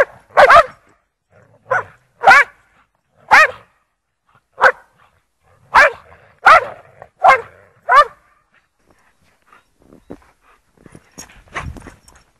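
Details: Lurchers named Egg, Toby and Buttons playing in snow at Priory Marina in Bedford; loud, sharp barks come singly or in quick pairs about once a second, with a pause and faint rustling and footsteps toward the end.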